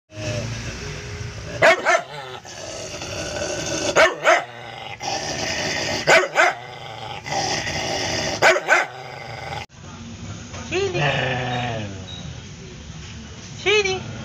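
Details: Cody, a newly adopted former stray aspin dog, gives a low, wavering harmonic growl broken by sharp barks about every two seconds, then a quieter stretch of higher whining tones near the end.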